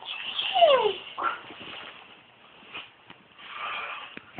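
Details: At 6am, as it does every morning, a Great Dane wakes its owners with a drawn-out whine that slides downward, then softer grumbling noises.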